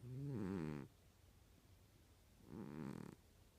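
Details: A domestic cat snoring: two buzzy, harmonic rasping breaths about two and a half seconds apart, each lasting under a second, with quiet room hiss between them.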